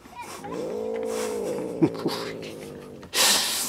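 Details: A female Siamese cat gives a drawn-out, moaning grumbling growl, a habit of hers, holding a steady, mid-low pitch for nearly two seconds.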